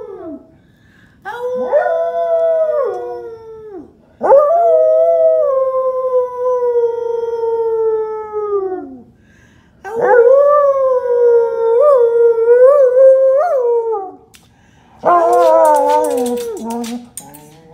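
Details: An English Springer Spaniel singing along with its owner in four long mournful howls separated by short pauses. Each holds a steady tone before sliding down, some with small wavering bumps; the last is rougher with crackling noise.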